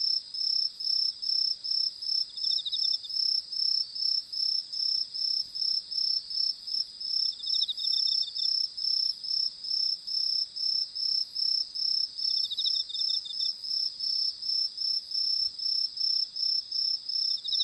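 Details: Crickets chirp steadily at night in Japan, a high, pulsing trill repeated in quick, even bursts, while fireflies fly about.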